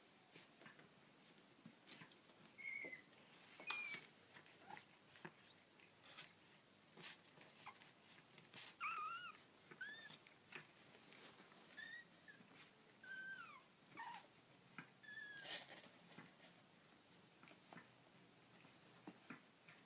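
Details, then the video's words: Baby kittens giving thin, high, short mewing squeaks in a quiet room, a few faint cries early and a denser run of brief mews in the middle, amid light rustling and clicks. "Baby Kittens Making Cute Noises"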